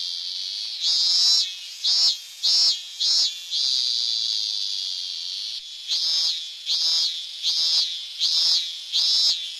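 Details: Song of a Hyalessa fuscata cicada: a shrill continuous buzz that swells into repeated loud throbbing pulses, a few at a time, then settles back to a steady drone before pulsing again.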